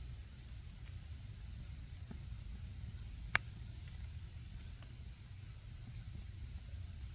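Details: Autumn insects chirping at a campsite, heard as one steady high, unbroken trill over low rumble, with sharp campfire crackles and pops scattered throughout.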